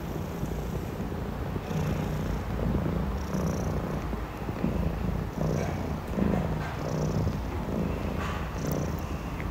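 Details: Low continuous purring from Richie, a 6-month-old Maine Coon, as his father Amur, aged two, grooms him. The rumble pulses gently in and out with breathing. Soft licking and fur-rubbing sounds are scattered over it.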